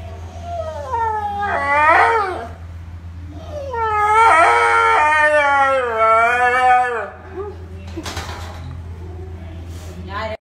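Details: A pet dog singing: two long, wavering, harmonic howls that rise and fall, each lasting about two to three seconds, with a steady low hum underneath and a few brief noises afterwards.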